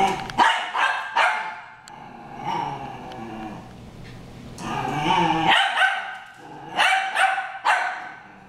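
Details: Two dogs, Harry and Ferris, brawling: rapid bursts of harsh barking and snarling growls, several sharp barks in quick succession, then a lull of low growling before another flurry of loud barks.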